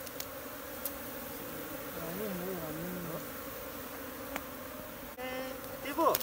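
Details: Swarm of wild honey bees in Nepal, caught barehanded from a jungle tree and moved into a new hive: constant low droning hum throughout, with a human voice briefly rising and falling midway and a rustle near the end.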